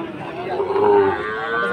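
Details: Sahiwal bull calf raised for fattening at Aftabganj cattle market, Dinajpur, 4 March 2023, giving one steady, drawn-out moo over background music.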